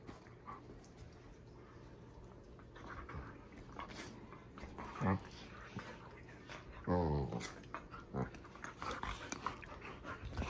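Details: Leia, a female German Shepherd, plays with her little brother indoors, making uneven breathy panting and then a short, rough, low growl near the middle, followed by further scuffling and breaths.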